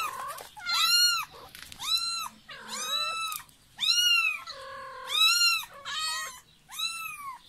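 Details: Young kitten crying for its mother, sending out a dense string of loud, drawn-out meows, some with a lower, flatter voice joining, almost no pause between cries.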